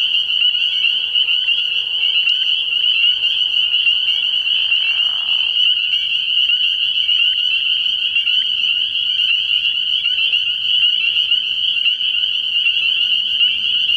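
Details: A frog pond at night in early spring, filled with a thick chorus of spring peepers giving shrill, overlapping peeps. A brief lower, rough burst comes about midway through.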